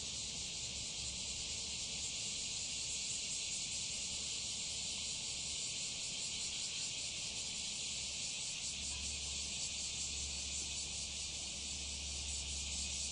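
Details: Bear cicadas, just beginning their season near Fukuoka, Japan, on 11 July 2021, sing a loud, harsh, steady buzz with a fast rasping pulse.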